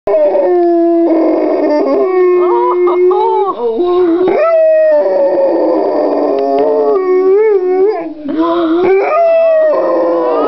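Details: Pit bull and boxer mix dog singing the blues like a hound: long, loud, wavering howls that slide up and down in pitch, held for several seconds with brief breaks and rich harmonics.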